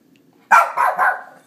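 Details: Three-year-old female Shih Tzu barking at her own reflection indoors: a sharp bark followed by two softer, drawn-out barks, with a woman talking to the dog just before and after.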